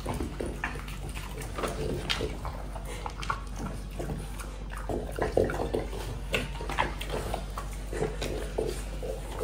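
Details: A French Bulldog munches apple in a small indoor room: rapid, wet smacking chews and snuffly breathing, fairly even in loudness, over a steady low background hum.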